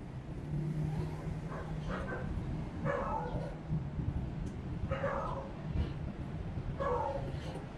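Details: Cat named Jupi, still eating little, on the way to the shelter, gives drawn-out descending meows roughly every two seconds, four clear calls against a constant low engine-like rumble.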